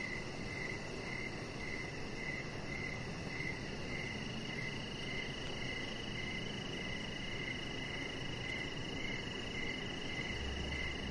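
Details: Outdoor evening cricket sounds by a deck: repeated high, pulsing chirps at a steady pace near two per second, over an unbroken shrill drone, background hiss and a brief low thump near the end.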